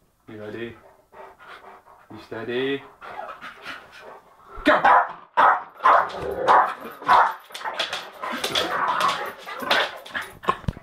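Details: Jack Russell terrier scuffling with a Bull Mastiff, both kept as pets: a person talks at first, then a loud stretch of rough barking, snarling and panting-like growls builds and continues with voices underneath.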